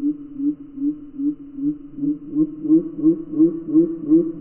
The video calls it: Gray tree frogs calling in slow motion!